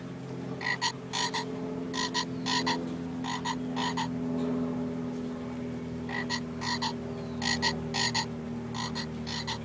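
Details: Green tree frog caught by a dog on a Thursday evening at 7:27 PM, July 7, 2011, in Pottersville, Somerset, Massachusetts, recorded on an iPod touch: short clicky croaks in quick pairs and bursts, over steady soft background music.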